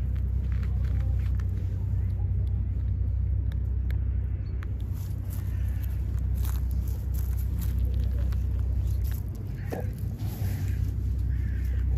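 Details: Heavy, continuous traffic rumble on a street in Istanbul, Turkey, with faint voices and scattered clicks but no clear animal sound.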